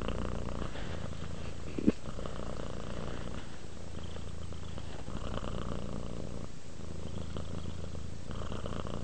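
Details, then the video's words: Relaxing domestic cat purring up close indoors: a steady low rumble with gentle breathing swells and a single sharp click near the two-second mark. "Cat ASMR, Sleep while Purring Cat Relaxes"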